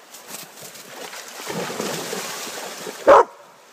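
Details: Labrador Retrievers at play in snow and icy water: splashing and sloshing build for three seconds, then a single loud, abrupt bark cuts through before quiet.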